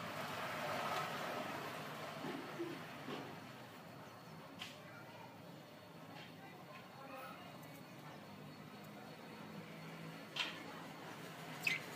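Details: Only a steady broadband background hum with a few faint clicks and knocks; no clear animal voice.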